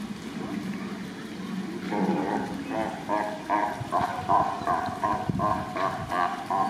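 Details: Sea lions trade loud, hoarse barks in a rapid, pulsing series after a low rumbling start, in an exchange recorded 2 May 2023.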